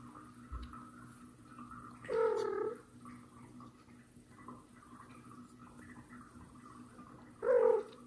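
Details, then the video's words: Mother cat, annoyed at kitten Mosya hiding from her, tries to pull it out: two short, strained meows about five seconds apart over a quiet, rustling room. "Mom cat tries to pull out a baby kitten that hid from her"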